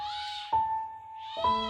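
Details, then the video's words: A kitten trapped for over ten days upstairs in an empty house gives plaintive, drawn-out meows, crying for help over a steady musical tone; neighbours had thought it might be a cat in heat. "実家に帰った時、上の階から子猫の悲痛な鳴き声が聞こえてきました"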